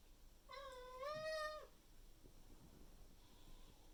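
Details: Maine Coon house cat in the morning, May 2021, loudly meowing at its owner to demand breakfast and water: a single drawn-out nasal meow, steady then sliding down at the end, followed by faint room noise and a soft distant mew.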